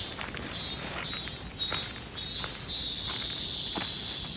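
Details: Min min semi, the robust cicada, in a loud, shrill, high-pitched drone. It throbs in regular surges about every half second, then settles into a steadier buzz near the end, with faint ticking below.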